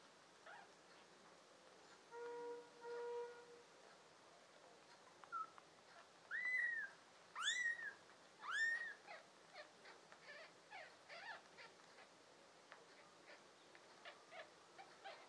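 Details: Tabby and American Shorthair kittens, five in the litter, filmed in June 2022; three arched, high mewing calls in mid-clip, preceded by a steady hum-like tone with faint clicks and rustling around.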